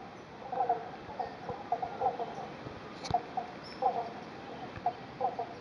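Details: Eastern Banjo Frogs give short, hollow 'bonk' notes, several callers plucking out of step in a chorus. They call at a creek near Bendigo, Victoria, Australia, refilled after two days of thunderstorms and heavy rain ended a dry spell.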